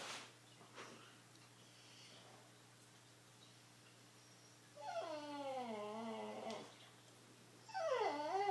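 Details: Pet dog making odd vocal noises indoors: after quiet room hum, a drawn-out wavering whine begins near five seconds, sliding down then up, followed by a second rising and falling whimper at the end.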